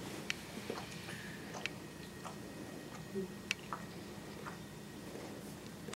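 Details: Quiet indoor room tone with faint scattered clicks and soft taps, no clear animal voice.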